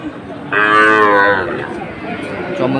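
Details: Sahiwal breed bull at a cattle market in Faridpur, Bangladesh, on 1 June 2024. One loud, rich, sustained moo lasts about a second, then fades into market chatter and faint music.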